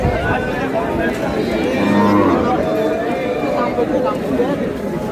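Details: Cattle at Ambari market (আমবাড়ী হাট), where cows and calves are being sold, on 17/8/26: one low, short moo rises out of the din near the middle, under steady bargaining voices and crowd chatter.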